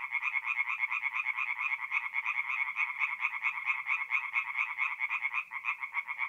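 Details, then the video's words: Tree frogs singing at night in a forest pond in north-east Italy in mid-April; a dense chorus of rapid, nasal, pulsed croaks repeated many times per second, overlapping without pause, with no other clear sounds. "relaxing forest pond by night with singing tree frogs"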